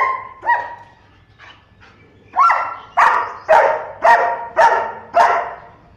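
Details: German Shepherd Dog at a Rajasthan kennel: a few spaced barks, then a fast regular series of six loud, harsh barks roughly half a second apart.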